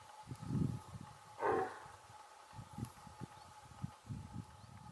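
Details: Alarm call of a female red deer, reminiscent of a large dog's bark: a single short, gruff bark early on, amid low-pitched thumping noises and a continuous faint hum.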